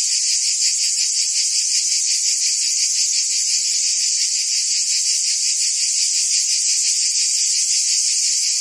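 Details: The buzzing of cicadas in the forest trees forms a shrill, steady chorus with a light rhythmic pulsing. It is continuous and even, with nothing else audible.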